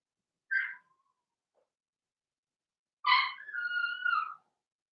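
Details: Blenheim Cavalier King Charles Spaniel puppies from a litter of six in an indoor puppy pen: a short squeaky yelp, then a longer whine sliding downward after a pause.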